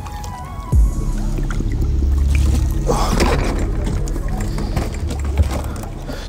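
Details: Steady background music plays over low, rumbling water and boat noise. No animal calls can be picked out.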